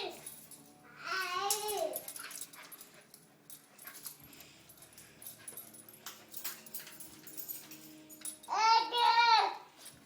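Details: Siberian Husky puppies indoors, two bursts of high, wavering whimpering whines near the start and end, separated by quieter rustling and faint voices.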